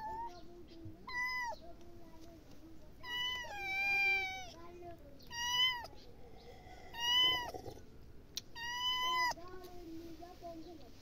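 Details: Domestic cat meowing repeatedly, about five drawn-out, fairly level meows spread over eleven seconds, each with a bright, nasal tone and slight downward bends at the ends; a faint low murmur runs underneath throughout.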